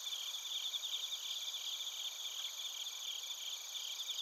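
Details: A dense insect chorus of bell crickets and crickets, recorded with a TASCAM Portacapture X8 in Narita, Chiba, Japan. Continuous bright, high ringing tones overlap with fast, fluttering pulsed chirps at an even level.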